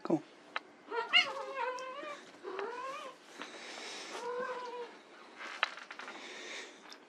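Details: White Persian kittens playing utter a run of thin, arched meows, each sliding up then down, spaced about a second apart, with rustling and soft knocks in between.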